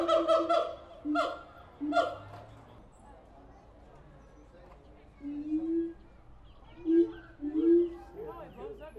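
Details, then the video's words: Siamang apes at the Tulsa Zoo: a few loud harmonic hoots at the start, then quieter rising, wavering notes after a pause, with faint background noise. "Siamang apes making noise at the Tulsa Zoo"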